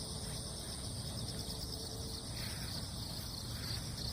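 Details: A continuous cricket chorus rises from wet ground in the wake of a typhoon, a thin, even high-pitched hum with slight pulsing flecks late on, set against heavy low-frequency outdoor noise.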